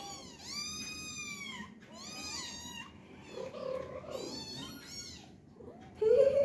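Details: Tiny kittens meowing while playing indoors; a series of high, clear, drawn-out meows, each rising then falling, repeated roughly every second, with softer mewing in between and faint background music.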